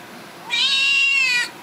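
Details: Seal point Siamese kitten, a young male, possibly upset, gives one sustained nasal meow lasting about a second, steady in pitch with a slight fall at the end, in a quiet indoor room.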